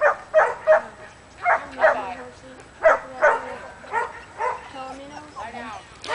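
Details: Luther, an almost three-year-old Border Collie/McNab cross, herding at a training clinic, very amped up after an hour's drive and a wait in the trailer: sharp, quick barks in rapid bursts, with people talking nearby.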